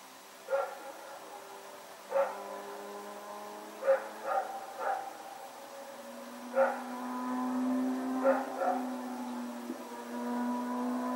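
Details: Rex, a dog running around at night, recorded Sep 21, 2018: sharp single and paired barks spaced a second or two apart, about seven in all, over a steady low droning hum.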